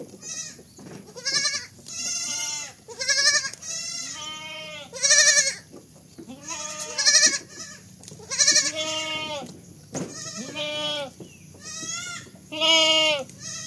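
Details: Baby goats giving rapid, overlapping bleats, some high and quavering, others lower and shorter, following one another almost without pause over the whole stretch, about thirty a minute.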